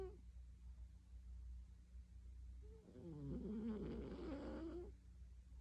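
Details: A cat asleep gives one long, harmonic snoring breath lasting about two seconds, wobbling in pitch, after a quiet stretch, with a constant low background hum throughout.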